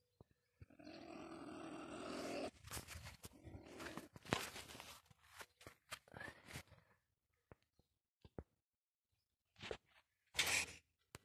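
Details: Marten caught in a live trap baited with live bait, giving a harsh, rasping growl for about two seconds, then shorter snarling bursts mixed with sharp clicks and rattles, ending in a loud hissing burst.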